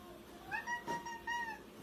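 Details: Indoor domestic cat, described as screaming bloody murder, gives short tonal meow-like cries: a rising opening note, then three steady, even wails in quick succession within two seconds. A person speaks just before it.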